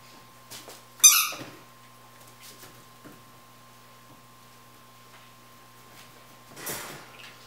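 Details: Seven-week-old Basenji puppies playing give a sharp, high squeaky yelp, then a softer rasping squeal later, over a faint steady hum.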